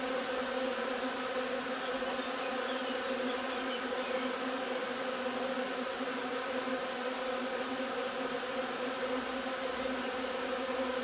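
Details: Honey bee hive during nectar collection from linden blossoms on 3 June; a dense, steady hum of many bees with a strong low drone and layered harmonics, unbroken throughout.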